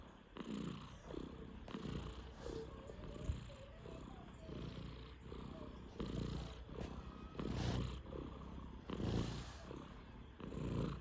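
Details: A five-month-old Sphynx cat snoring: soft, low, rasping breaths in a steady rhythm of about forty per minute, each a short hushed swell with a faint buzzy edge.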